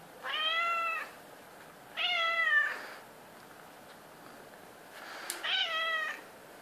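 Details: A seven-year-old female domestic medium hair house cat meowing at 3:30 am, demanding to be patted: three drawn-out, harmonic meows, each under a second, with pauses of about one to two seconds, in a quiet indoor setting.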